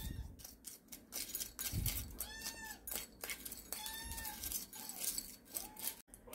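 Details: Sarang, a rescued stray kitten, calls repeatedly on a morning indoors while food is mixed with warm formula for her: three thin, arching meows spaced over several seconds amid clinking bowls and soft handling noises.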